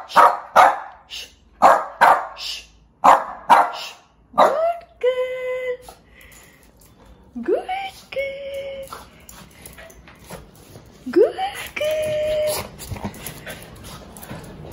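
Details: One-year-old female Shih Tzu, described as angry, gives five loud sharp barks in quick pairs, then several drawn-out, rising whines and yelps, with a human voice faintly audible.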